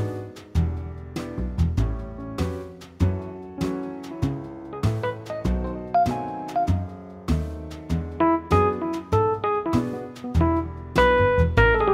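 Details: Jazzy piano music with bass notes plays throughout, and no animal sound is heard.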